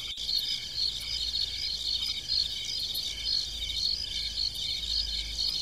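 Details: A night chorus of farm-field crickets gives a continuous high-pitched trill broken into quick pulsed chirps, roughly two each second, over a faint low rumble and one brief click near the start.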